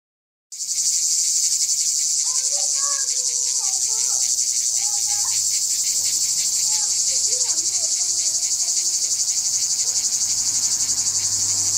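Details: Cicada on a tree in Jagodje, Izola, Slovenia, giving its characteristic sound: a loud, continuous, high buzzing hiss pulsing about four times per second, with faint bird chirps underneath.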